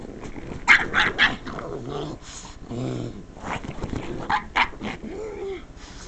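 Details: Female pug indoors, upset by the sound of someone scratching the couch, letting out a loud run of odd vocal noises: sharp yips, then low moaning growls with clear harmonic tones and rising-falling whines.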